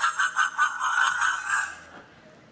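A fishing cat gives a high, reedy call that stutters in quick pulses, then stretches into one drawn-out note.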